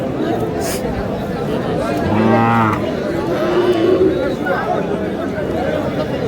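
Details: At Aftabganj cattle market on 24 March, a thin, bony cow gives a single short, low moo with stacked harmonics midway through, surrounded by constant market chatter and a man's voice.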